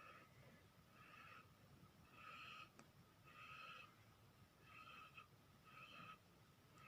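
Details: Dog snoring: six whistling, wheezy bursts in about seven seconds, each a short nasal tone held for under a second, separated by quiet breaths, recorded softly in a still room.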